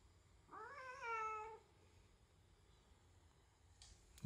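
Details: Pet domestic cat indoors at home on the day it first meets a newborn baby, giving one drawn-out meow of about a second that rises then slowly sinks, followed by a quiet room and a short click at the end.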